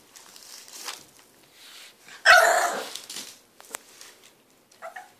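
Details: Impatient French Bulldog puppy, three months old, wanting a hand brush: one sharp harsh bark standing out from quieter scuffling and faint whines, with a brief short whimper near the end.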